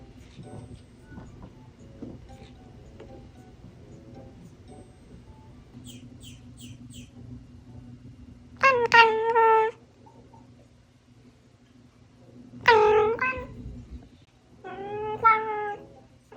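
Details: Gin (銀), a young pet cat trained as a 'cat employee', paws at a suspicious 'enemy' and stretches in odd directions. Three short, rising-falling harmonic meows come near the end over soft background music.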